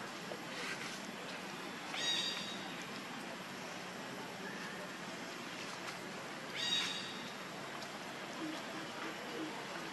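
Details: Hungry baby monkey crying to beg its mother for milk: two short, high, strained wails roughly four and a half seconds apart, set against a steady hiss of insect-like background noise.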